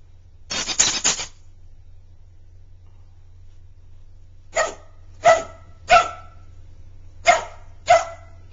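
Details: A Border Collie puppy at play with a toy hedgehog lets out a burst of rough barking, then a run of five sharp barks about half a second to a second apart, over a low indoor hum.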